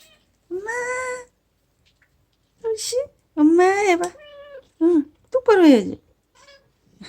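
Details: A cat, Aegi, rescued as a dying feral kitten in summer 2018 and now an attached house cat, speaks "mom"-like meows: a steady level meow, then several rising and falling cries and short squeaks, in a quiet indoor setting.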